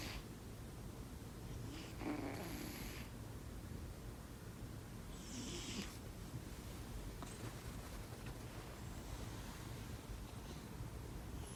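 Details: Kitten purring while asleep: a continuous low, even rumble throughout, broken by a few short breathy puffs of air early on and near the middle.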